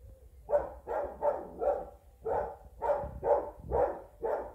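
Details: English Springer Spaniel named Jaxston barking at a WowWee Robosapien robot toy, trying to attack it; a run of about nine short, hoarse barks at a steady quick pace, some paired, with faint low rumble underneath.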